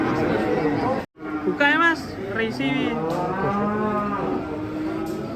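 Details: Rampaging cow in a cloth mask being unloaded from a truck in Indonesia: a steady low moo, a brief silence, then wavering, pitch-bending bellows, with background voices.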